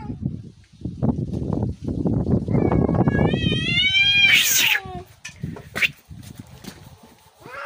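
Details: Fight between cats: a rising, wavering yowl swells over a constant low rumbling background noise and breaks into a spitting hiss, followed by a few short harsh sounds.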